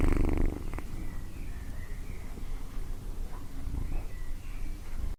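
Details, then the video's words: Cat purring: a low, steady, rumbling vibration running continuously throughout, with a soft breathy rasp on top. "Cat Purring"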